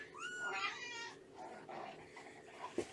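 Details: A single drawn-out, high meow that climbs and then slides down in a small indoor room during a morning foster-home visit with rescue cat Shelby and her kittens, September 19, 2017, followed by quiet shuffling and a soft knock.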